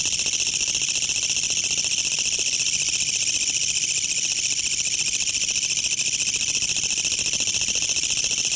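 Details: A Korean katydid (kutsuwamushi) singing around a house late into the night gives a loud, harsh, grating song: a continuous rasping, high-pitched buzz of fast regular pulses that sounds almost mechanical, like a rattling engine.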